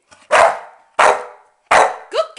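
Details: Female Staffordshire Bull Terrier barking on command while counting: three sharp, loud single barks spaced about 0.7 seconds apart, each answered by a woman praising her, whose voice follows the last bark.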